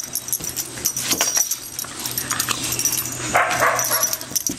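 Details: Playful dogs Bella, an American Staffordshire terrier, Orson, a red heeler pup, and Patches, a Border Collie, let out quick high yips and a brief whining cry amid busy scuffling during their game.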